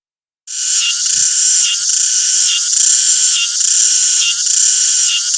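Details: Cicada chorus starting after a brief silence, then a steady piercing high buzz with regular surges about every 0.85 seconds. No low sounds beneath it.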